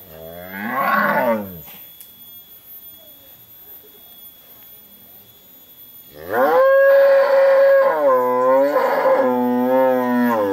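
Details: Cattle, bull and cow, calling; a long moo with a wavering tone, then a pause of about five seconds, then a second long, loud, melodious moo with several rising and falling bends, lasting over four seconds.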